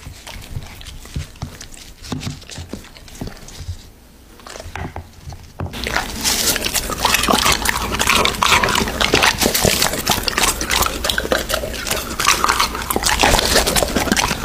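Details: An American Bully eating raw meat, filmed close up: quieter scattered wet smacks and chews for the first six seconds, then a sudden loud, dense stream of crunching, slurping and tearing that continues to the end.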